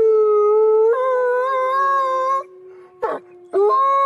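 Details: A steady wolf howl steps up in pitch and holds, then fades to a quieter lingering tone, broken by a short rough burst, before another long, even howl starts up.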